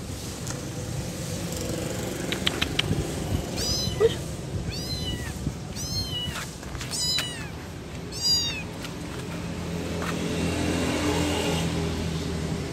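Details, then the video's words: Young kitten searching for its mother gives a quick run of about five clear, arching meows in the middle of the recording, with a few clicks before and a low rumbling background noise throughout. "Suara Anak Kucing Mencari Induknya"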